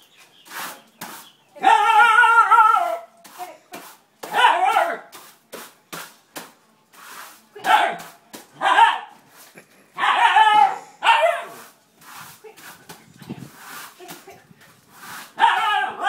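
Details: Siberian Husky named Thor meeting a broom for the first time, giving loud, harmonic, yowling barks in bursts every second or two, some wavering and drawn out, between sharp clicks and rustling sounds.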